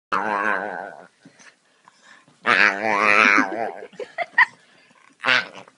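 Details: Male Staffordshire Bull Terrier playing while getting his belly rubbed, giving drawn-out grumbling growl-moans: a wavering harmonic call of about a second, a pause with soft snuffles, then a longer rising-and-falling moan and a short final grumble.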